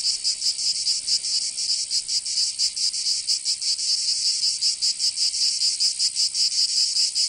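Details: Chorus of summer cicadas in Provence, southern France, an intense shrill drone with uneven, overlapping pulses, several insects buzzing at once against a steady hiss.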